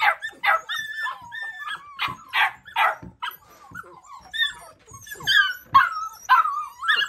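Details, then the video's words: Several Labrador Retriever puppies barking and yipping in quick, high-pitched bursts, some calls sliding into whiny yelps, overlapping one another at irregular intervals. "Perros ladrando (labrador)"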